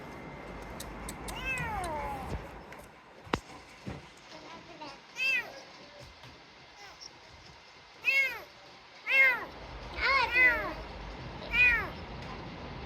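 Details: Sick kitten rescued from garbage, first quiet among faint clicks and murmured human voices, then a run of about six high, arching meows in the final five seconds.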